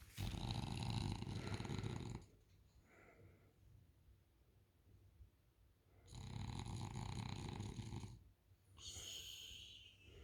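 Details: French Bulldog Isla snoring on the couch: loud, raspy rattling snores lasting about two seconds each, separated by quieter breathing pauses, with a thin whistling nasal tone on the final breath.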